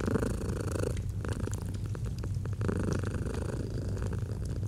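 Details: Domestic cat producing a soft, continuous low purr, set with a fireplace in autumn ambience; rhythmic rumbling rises and falls with inhaling and exhaling while the fire crackles lightly.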